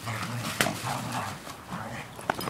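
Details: A cheeky four-year-old English Springer Spaniel guarding a newspaper when asked to give it up, making soft whining whimpers and grumbles, with a woman talking over it and a couple of sharp knocks.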